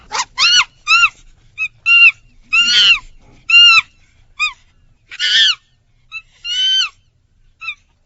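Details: A monkey gives a series of high, arching squeaks and short shrill yelps, some rough and raspy, in irregular bursts with brief silences between.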